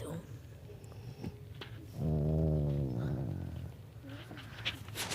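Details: Pet dog asleep and snoring; one deep, droning, rumbling snore lasting just over a second, with soft rustling before and after and a person speaking quietly nearby.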